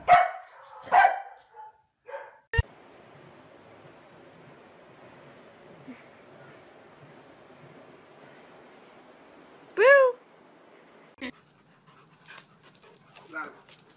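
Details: Dog in a funny household moment: a couple of short high yips at the start, a sharp click, then quiet until a loud whiny rising-and-falling yelp, followed by faint squeaks and small knocks.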